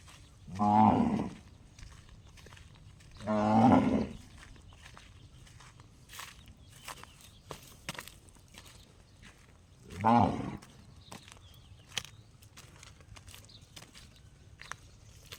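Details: Gong-like calls from a cow: three loud, resonant bursts with stacked harmonics, two close together early then one after a six-second pause, amid scattered clicks and knocks.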